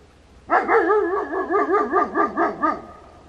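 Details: German Shepherd on nighttime security patrol in Slaughterville, Oklahoma, captured on a game and security camera: a rapid run of about eight wavering, yodel-like barks, rising and falling in pitch, then silence.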